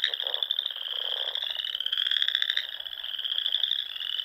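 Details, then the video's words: Spring frog chorus from small lakes and ponds in the Sandhills of Nebraska at dusk: a continuous high, buzzy trill layered with rapid pulsing calls. "RELAXING SOUNDS OF FROGS"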